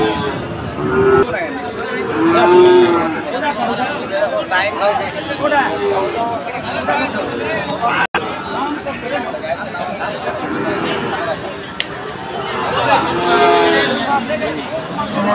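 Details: Sahiwal bulls at Ambari cattle market, where Chattogram traders are buying, on Monday 24 July: a few drawn-out lowing moos rise and fall amid continuous crowd chatter and market bustle.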